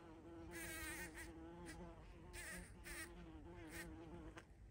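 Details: Bumblebee at a feeding spot on 14 June 2023, giving a steady low droning buzz with a strong, slightly wavering hum, overlaid by short louder buzzy bursts as it moves around.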